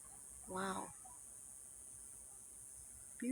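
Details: Cicadas in the trees at sunset after 7 p.m. in Yuma keep up a steady, high, hissing shrill through the evening air, broken by a brief human voice.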